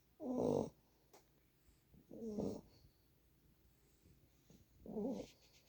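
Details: A 9-week-old Boxer puppy asleep on a person's lap, snoring in three short rasping breaths about two seconds apart, quiet between them.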